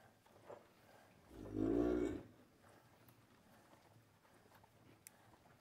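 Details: Cattle in a corral on a farm in the morning, cows hand-milked while calves suckle; a single low, drawn-out moo of about one second, with faint rural background noise.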